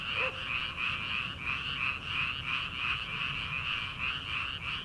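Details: Early-summer frogs in rice fields at night, before rice planting: a thick wall of high croaks pulsing in quick, even beats for the whole stretch, with one faint distant sound at the start.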